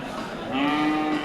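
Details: Local deshi cattle bought for Eid al-Adha qurbani at Amtali cattle market in Manikganj, Bangladesh; a steady, level, low moo begins midway and holds to the end over a busy background hum of market noise.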